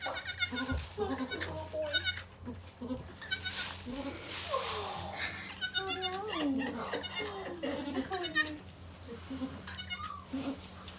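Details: Goats at Goats of Anarchy on the day the rescued mother Maybel gave birth to four kids. Short, high, quavering bleats burst out repeatedly and sometimes overlap. People talk softly between them, over a low steady hum.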